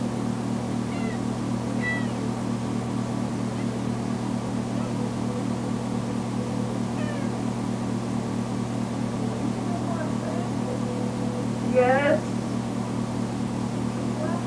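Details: Tamera, a recently spayed female foster kitten, cries loudly when left alone in a bedroom: short rising-falling meows at scattered intervals, with a louder, drawn-out wavering cry near the end, over a steady low mechanical hum.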